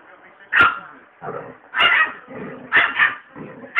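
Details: Possessive pet chihuahua turning feisty at a pitbull it does not want near its owner: sharp, high, strained yapping bursts roughly once a second, with growly tails between barks.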